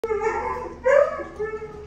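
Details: A Great Dane x Boxer cross dog reunites with its owner indoors. It gives tonal, drawn-out whines with a louder rising surge in the middle, and a person's voice is nearby.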